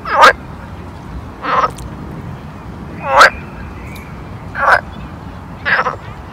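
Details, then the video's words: Frog at a pond in summer: five loud, rasping croaks spaced roughly every one and a half seconds over a steady low background hush. "Summer Ambience Pond Frog Sound"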